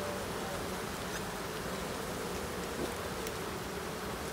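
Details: Honey bees at their hives during an end-of-summer inspection on 22 September: a dense, steady buzzing hum with a faint held tone near the middle, unbroken across the recording and without voices.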